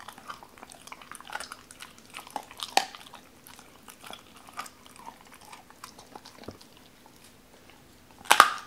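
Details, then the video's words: Doberman named Cola eating raw chicken for the first time, wary at first, then eating pieces cut apart by hand: sparse soft crunches and wet chewing clicks, with a louder burst of crunching near the end. "도베르만 생닭 먹방 ASMR"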